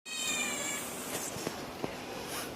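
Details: Domestic cat that comes to sit beside its people at its usual time, with another cat playing nearby; a high, thin meow at the very start fading within a second, then soft household clatter.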